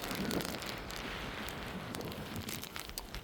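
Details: Brief hissing patter of rain-like noise with scattered clicks, and no animal calls.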